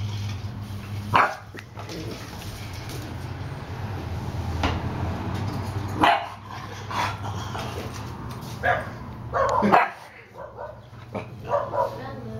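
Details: Pair of bulldogs, an older dog and a young cousin, wrestling in play: scattered sharp barks and yips break out between quieter stretches of grunting, over a constant low-pitched hum.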